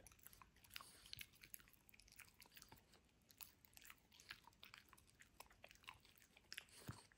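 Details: French Bulldog Benedict gnawing apart a toy dinosaur, dense rapid crunching and crackling bites, steady throughout with sharper snaps around the seven-second mark, in a quiet small room.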